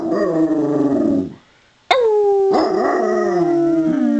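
A Basset Hound howls in greeting, drawn-out mournful notes that slide downward in pitch.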